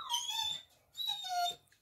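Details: Labrador Retriever in conversation with a woman: two quiet, drawn-out whimpers, high and tonal with a slight downward slide, separated by a brief pause, with faint background noise.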